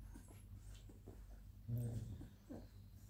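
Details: Suckling Labrador Retriever puppies at twenty days old whimper softly, with one louder drawn-out squeal in the middle and a short yelp near the end, over a low steady hum.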